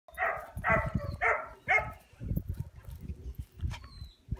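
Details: American Akita offered for sale, giving a run of four short, harmonic barks in quick succession, followed by quieter low thumps and handling noise with a faint whine near the end.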